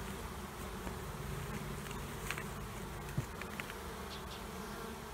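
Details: Honey bees from two colonies under a trailer, removed near Panama City: continuous low droning hum of many bees, with a brief sharp click near the middle.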